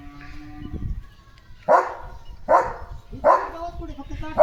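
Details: German Shepherd named Leo barks with excitement about a chicken chips treat: four loud, harsh single barks spaced under a second apart, each starting abruptly, with low background rumble.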